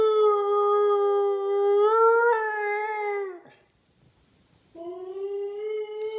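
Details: A Siberian husky, talkative in the morning, howls in a duet with his owner: long, steady, clear howls that swell slightly, break off, then return.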